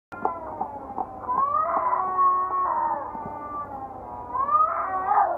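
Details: Cats fighting while walking along a wall near the Acropolis in Athens: long, drawn-out wavering yowls with rich overtones, rising and falling in pitch almost without a break, briefly dipping mid-clip, then swelling louder toward the end.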